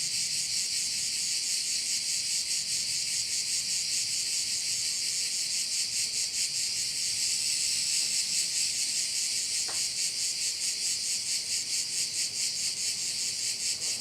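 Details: Crickets around a bay on Korčula, Croatia, producing a bright high trilling chorus with a fast throbbing rhythm; a brief faint tick sounds partway through.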